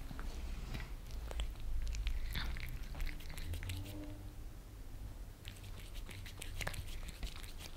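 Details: Maine Coon Lissy and British Shorthair Fritz, house cats in Germany, lapping creamy treats from a glass tabletop; quick irregular tongue clicks come in clustered bursts, with a faint purr-like murmur and a constant low hum beneath.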